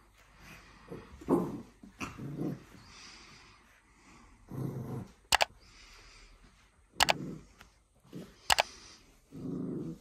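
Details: A Pembroke Welsh Corgi puppy playing with a new tennis ball on a rope gives low, gravelly growls in short bursts, some rising into brief whiny grumbles, cut by sharp clicking knocks, indoors.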